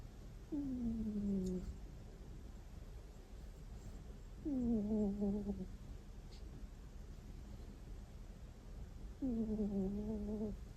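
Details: Domestic cat asleep and snoring, a sound it has rarely made. Soft, tonal 'kuu' sounds, each sliding downward and lasting about a second, come three times at roughly four-second intervals over faint room hiss.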